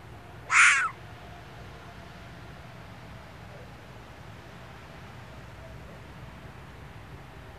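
A red fox gives one harsh, hoarse call, then quiet background hiss.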